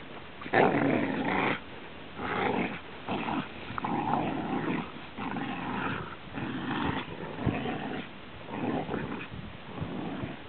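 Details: Pet Rhodesian Ridgeback growling indoors in repeated rumbling bursts, each about a second long with short pauses between, low and throaty with some rougher, higher-edged moments.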